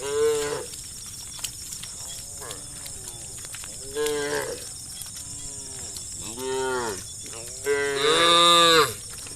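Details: A herd of dozens of tame cows walking a road, lowing to call companions to search for grass: a series of about six harmonic moos, arched in pitch, ending in a loud drawn-out bellow, with a constant high hum underneath.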